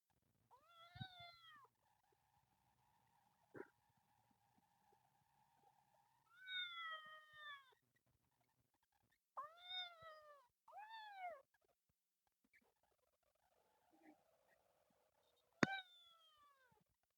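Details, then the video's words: Temple kitten living in nature screams in repeated arching meows. Each rises then falls, some in quick pairs, some with a low hum beneath, spread across the recording with quiet gaps and a sharp knock near the end. "This kitten is very good at screaming."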